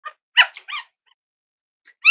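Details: Cavalier King Charles Spaniel puppies, about ten days old with eyes and ears not yet open, indoors with their mother on the first day of potty training: a few short, high, harmonic squeaks, then a sharp rising squeal at the end.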